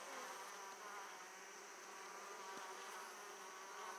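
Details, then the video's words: Short stretch of Italian honey bees at an open hive, returning with abundant pollen; an unbroken, even buzzing drone of many bees with a single soft knock. "Italian Honey Bees hive opening"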